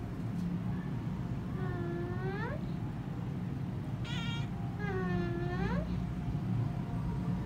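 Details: Young kittens calling: three drawn-out, rising-then-falling meows about a second apart, plaintive and tonal, over a constant low rumbling background hum.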